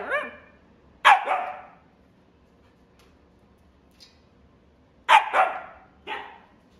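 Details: A female silver-and-white Siberian Husky, born December 2021, gives loud, sharp barks in two bursts, each followed by a softer yelp.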